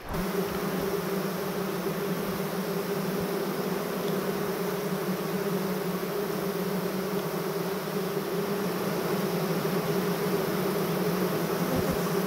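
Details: A queenless Western honey bee mating nucleus, with no queen, virgin, or brood to rear one, 'sings' loudly in a low, steady drone, bees raising their abdomens as if fanning to call, in May.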